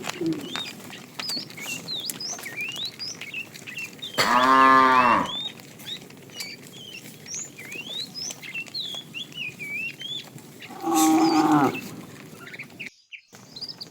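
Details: A fat cow in a tame herd being driven along in the afternoon, calling the female: two short harmonic moos about six seconds apart, each under a second, with busy chirping birds throughout the background.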